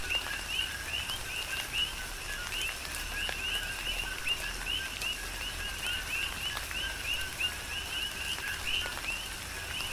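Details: Coqui frogs calling in a tropical rain shower on the Big Island of Hawaii: many overlapping two-note chirps, a low note rising to a higher whistle, repeated densely over steady rain patter and scattered drips.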